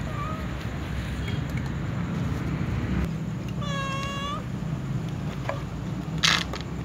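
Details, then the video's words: Cats waiting before feeding, a tom cat and a white cat among them: a faint short meow at the start, then one clear, drawn-out harmonic meow midway, with low background hum and a sharp click near the end. "tom cat meows also white cat before feeding with others"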